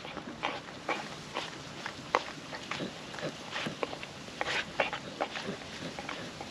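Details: Puppy dog, female, working wet food out of a food trapper mat on a windy day: sharp, wet mouth clicks and licks arriving every fraction of a second in loose clusters, with soft rushing wind behind.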